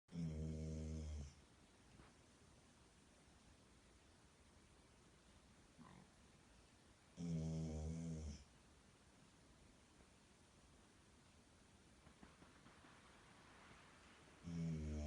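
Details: Golden Retriever named Milo, seven months old, sound asleep indoors with a stuffed toy dog as a pillow; deep, rumbling snores come in long spaced bursts, about one every six to seven seconds, with quiet breathing between.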